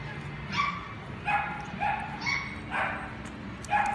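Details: Dog at a pet shop giving short, high yipping barks, about six in four seconds, spaced fairly evenly over a steady low background hum.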